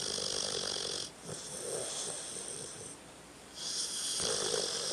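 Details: Tucker the dog asleep and snoring: long wheezy, whistling breaths with a hissing high edge, a short quiet gap between inhale and exhale, the pattern repeating steadily.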